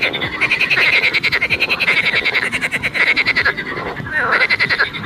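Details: Continuous frog chorus of fast, rattling croaks, the pulses running together into a buzzing drone that swells and eases every second or so, with one slightly lower call near the end.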